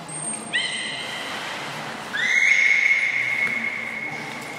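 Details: Training session with captive belugas Hodoi, Taanya and Mirai at Port of Nagoya Public Aquarium, male Mirai turning seven; a short harmonic whistle, then a longer rising-then-level whistle held nearly two seconds, with a faint high tone at the start.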